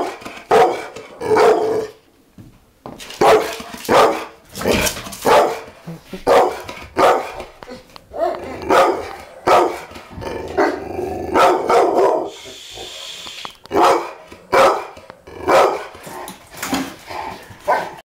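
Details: A two-year-old fostered pit bull, frightened by the camera on his first recording, barks and growls repeatedly in harsh bursts, sometimes doubled, with brief pauses over eighteen seconds.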